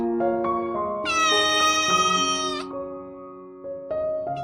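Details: Recovering rescued stray kitten meows while crawling to its litter box and using it: one sustained, loud, even meow of about a second and a half, set against soft piano music.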